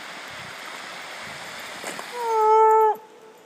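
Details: A Redbone Coonhound running in the woods gives one short, steady, tonal howl that drops at the end, over rushing water.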